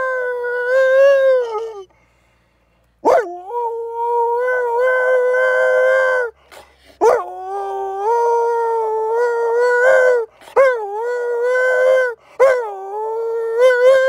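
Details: Captive wolf at a Spanish sanctuary, howling back and forth with people: a series of sustained tonal howls, each opening with a quick rising swoop before leveling off, separated by brief breaks, with one longer silence early on.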